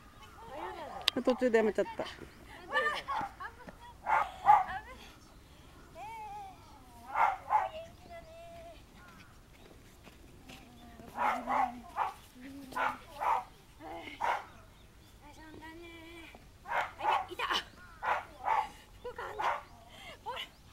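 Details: Four 68-day-old male apricot medium poodle pups playing in an agility field give short, high yips and squeaky whines in quick bursts, with brief pauses between.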